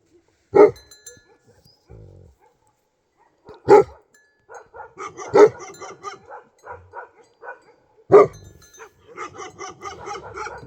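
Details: Bhote Kukur named Tiger, a Nepali dog in Nepal, gives four loud single barks spaced two to three seconds apart, each a sharp mid-pitched burst, with a person talking between them.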